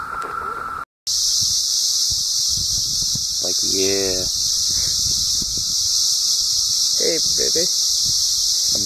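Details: Seventeen-year cicadas in great numbers after emerging in summer 2016 in Southeastern Ohio, forming a loud, unbroken high hissing drone that never pauses, while a man jokes and talks over it with a brief dropout near the start.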